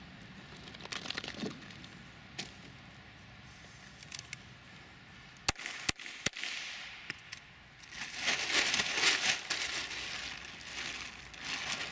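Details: Quiet room tone with scattered clicks, crinkling and a few sharp cracks is heard, and no animal calls.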